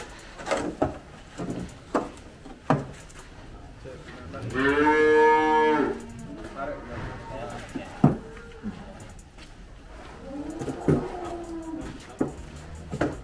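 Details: Gama cow (Belgian Blue x Brahman F1), a mother of two, difficult to handle during weighing, lets out one long harmonic moo of about two seconds, then a softer second low call, between sharp knocks and bangs of metal and wood.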